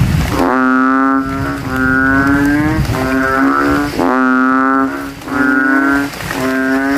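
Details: Banded bullfrogs calling at night from a rainwater puddle in a graveyard after rain, males inflating their throats and competing to be loudest; deep, resonant bleating calls about a second long overlap one after another in a loud chorus.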